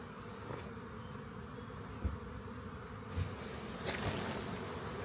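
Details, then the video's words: Honey bee swarm found near a rain gauge and later collected; continuous low droning hum with a few soft knocks and faint clicks scattered through it. "Lets Get A Swarm Of Honey Bee's"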